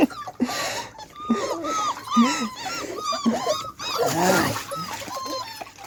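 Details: Beagle puppies being taught to walk in water whimper in short, curved, high cries roughly every half second, mixed with human speech and some splashing.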